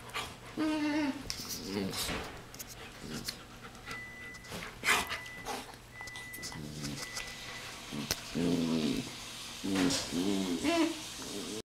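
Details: Macadamia, a four-month-old German Shepherd mix puppy recovering from entropion eyelid surgery, romps with bigger dogs: heavy panting and short harmonic growling and whining bursts, with a human voice in places.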